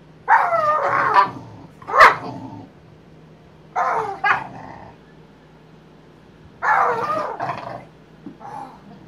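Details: Boxer dogs boxing in play, with three clusters of harsh growling barks and snarls, each about a second long, spaced by quiet pauses over a low electrical hum.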